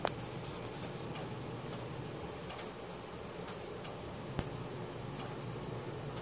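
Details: Nighttime cricket, recorded with a Samsung Galaxy S4, gives a bright, fast-pulsing high trill that never stops, accompanied by a couple of faint clicks and gentle low ambient noise.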